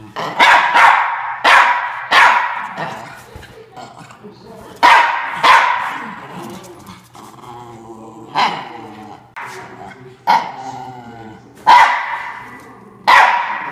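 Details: Norfolk Terrier, a male dog, defends his bean bag chair with a long run of about ten loud barks. The barks come in irregular bursts, with a lower, rougher growl-like call midway.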